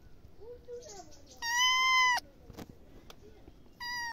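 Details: Cat giving a loud, steady, flat-pitched meow lasting under a second, followed by a short clipped second meow; soft quieter murmurs and small clicks come before it in an indoor setting.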